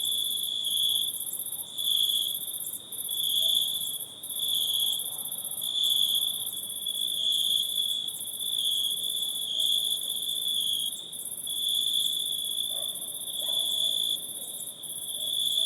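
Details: Insects calling at night in a forest: a dense, continuous high trilling band with a steady shrill tone and an even higher hiss, pulsing in slow swells every second or two, no other clear sounds.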